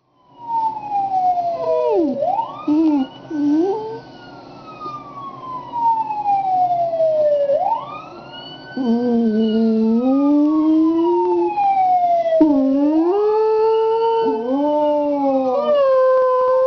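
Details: Pet dog Coney howling in response to a passing fire truck siren: loud descending siren wails sweep repeatedly throughout, while the dog's wavering, rising-and-falling howl with rich overtones joins in during the second half.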